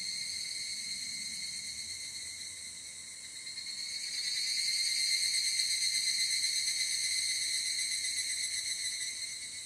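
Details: Evening cicada, known in Japan as higurashi, captured on a ZOOM F8n Pro with SCHOEPS mics: a sustained high, rapidly pulsing buzz that grows louder around the fourth second and stays strong to the end.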